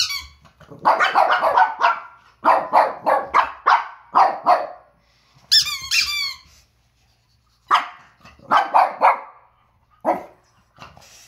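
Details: Two Pekingese dogs, Peko, one year old, and Poko, under a year, barking indoors at a squeaking toy in October 2018. Sharp barks come in rapid clusters of three to six, broken by a high, wavering squeal from the toy.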